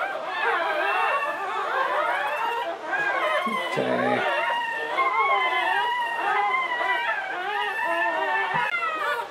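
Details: English Springer Spaniel Latte whelping her seventh puppy in a litter of nine, 2013; a long, wavering, tonal whine with rising and falling harmonics, continuous for several seconds, a brief low voice partway through.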